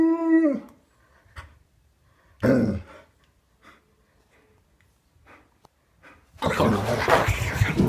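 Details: Alaskan Malamute dog indoors giving a morning greeting to its owner: a short tonal moaning howl at the start, a brief noisy vocal burst, quiet faint sounds, then loud rustling noise at the end.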